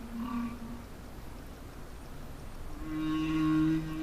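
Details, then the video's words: Underwater song of a humpback whale off Peru, possibly a male signalling to other males or to females. A faint low moan opens, followed after a quiet gap by a louder sustained moan with a layered overtone. "La ballena está cantando debajo del agua."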